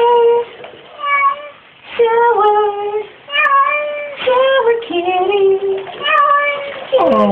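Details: Glu, a female house cat, vocalising during a shower with a run of steady, harmonic meows, some dipping and others rising at the end, packed closely with brief gaps.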